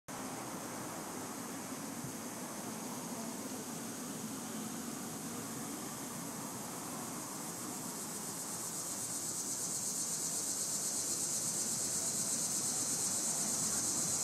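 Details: Cicadas in a tree give a steady, high, hissing buzz that swells louder toward the end.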